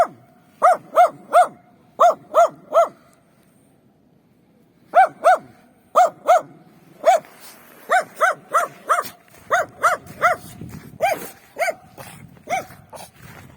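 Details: Street dogs roaming free in winter, some behind a fence; barks in quick groups of three, a pause of two seconds, then further groups and a steady run of barks, with a faint second dog in the background.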